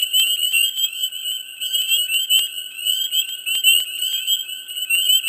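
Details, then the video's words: Swamp frog chorus in mid spring, thick and unbroken: shrill overlapping trills form a constant high drone while sharp, clicking calls punctuate it several times a second. "Frogs,Dense,Mid Spring,Swamp Sound Effects"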